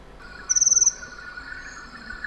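A cricket gives one quick chirp of about eight rapid, high-pitched pulses over a steady hum of other night insects.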